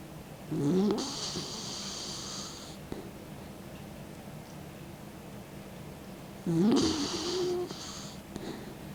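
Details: Elderly 16-year-old dog asleep with its tongue out, snoring: two loud, breathy, noisy snores about six seconds apart, each with a low rasp, separated by quiet breathing.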